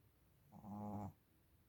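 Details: Small female Shih Tzu asleep and snoring: a single throaty, rasping breath of about half a second with a low buzzy hum, set against a quiet background.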